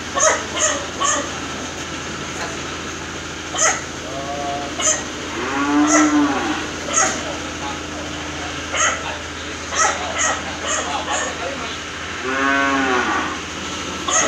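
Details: Cattle of PO, crossbred and Limousin breeds being raised for fattening in Ciharalang village, Ciamis: two drawn-out, harmonic-rich moos, one around the middle and one near the end, among frequent sharp knocks and clatter.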